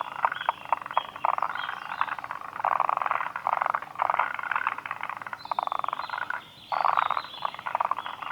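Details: Several forest green tree frogs croaking at Kawaguchiko Field Center in Japan on 2 June 2019, producing loud grating, pulsed rattles in quick succession, one short lull before the chorus resumes strongly.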